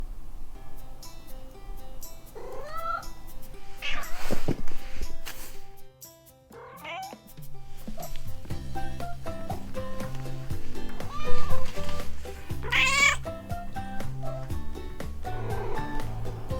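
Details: Domestic cats, a male Munchkin and two Maine Coons (one female, one young male), meowing indoors; several separate rising-falling meows near 3, 4.5, 7 and 13 seconds over steady background music.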